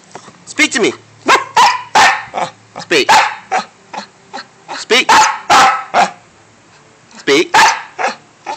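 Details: Dante, a pet dog, answers repeated commands to speak with a rapid run of loud barks and yelps, bursts closely packed over several seconds, mixed with a person saying speak, hush and quiet.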